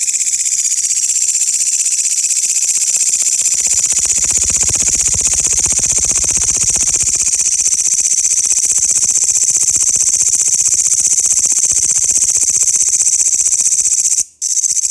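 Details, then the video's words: Loud grasshoppers in a steady, high, hissing buzz made of fast pulses, about four per second, continuing almost without pause for fifteen seconds, with one brief dropout near the end. "the loud sound of grasshoppers"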